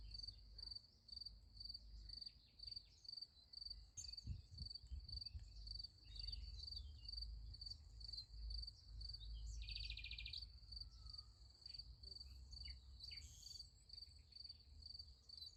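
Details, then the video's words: Crickets at night beside a sunflower field: a steady, high, rapidly pulsed chirping runs without a break throughout, over a low rumble, with a short buzzy burst near the ten-second mark. "Nice Sunflower Field with Crickets Sound Effect"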